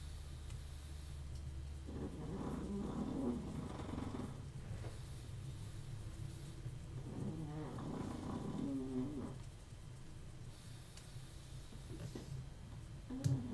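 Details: Snoring dog in a small room during a wristwatch restoration, two slow rasping, buzzy breaths roughly six seconds apart over a constant low hum, with faint ticks and a sharp click at the end.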